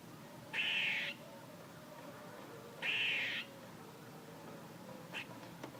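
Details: Squirrel calling: two loud, raspy, nasal bursts roughly two seconds apart, each lasting about half a second, followed by a brief faint chip near the end.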